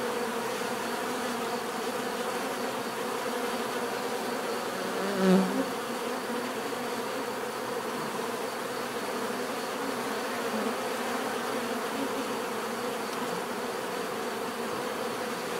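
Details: Bees buzzing in a natural setting, a steady dense hum layered with many overlapping wingbeat tones, with one brief louder pass of a single bee close by midway through.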